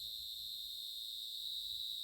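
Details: A large cricket in a village gives a steady, shrill, unbroken trill at one high pitch. It falls silent when approached closely.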